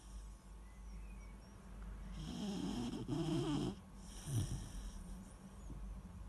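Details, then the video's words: Weimaraner puppy asleep, snoring softly: a low rumbling breath rises and swells around the middle, then a second brief snort, over a steady low hum. "Weimaraner puppy snoring"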